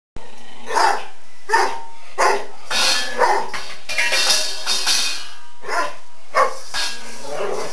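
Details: Dog barking at a new shiny metal bowl it was given after chewing on its old one: short, harsh barks about once a second, some in quick doubled bursts, over a steady loud background.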